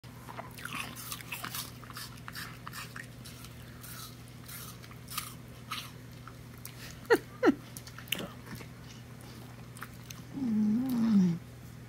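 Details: A female mini Bull Terrier eats an apple she shares with her owner, giving sharp, irregular crunching chews over a steady low hum; eating noises.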